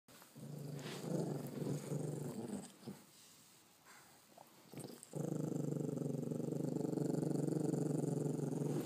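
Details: A one-eyed pug-Chihuahua cross dog growls while guarding his first bone indoors: a low rumbling growl from the start to about 2.5 seconds, a quiet gap, then a steady, louder continuous growl from about 5 seconds to the end.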